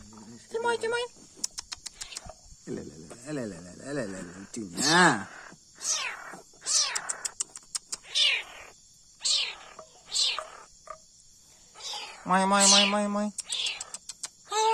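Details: Young leopard cat kitten in care during milk feeding, calling with a series of short arching mews that rise and fall, about a dozen over the stretch, interleaved with human speech and soft clicks.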